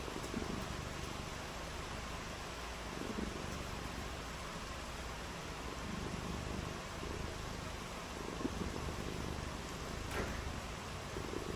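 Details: Domestic cat purring on a rainy day, a low, steady rumbling throb under constant broadband hiss, with a few faint clicks near the end.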